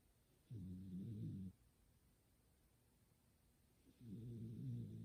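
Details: Domestic cat sound asleep beside its owner indoors, snoring like a person with a "goo-goo" sound: two low rasping snores, each about a second long, separated by quiet breathing.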